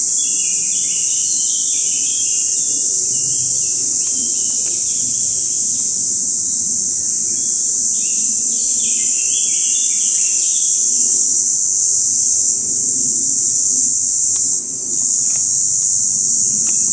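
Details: Mountain cicadas giving their calling song, recorded in 2014: an unbroken, very high, even buzzing drone that holds steady for the whole stretch, with brief bird chirps and twitters scattered below it.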